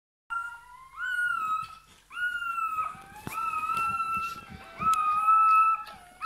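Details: Newborn Bernese Mountain Dog puppy at its birth, indoors: thin, high whining squeals, each rising briefly then held level, given in four drawn-out bursts with short gaps between them.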